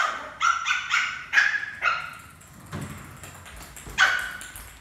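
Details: Playful pet Lhasa Apso puppy during a doggy cricket game with its family; a quick run of high, bright yips and barks, four in the first two seconds, then a pause and one more yip.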